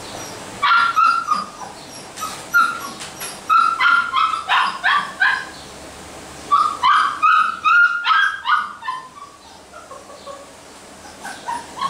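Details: Basset Hound puppies yelping and barking in loud, high, rapid bursts, several short calls run together in clusters with brief pauses, repeated throughout.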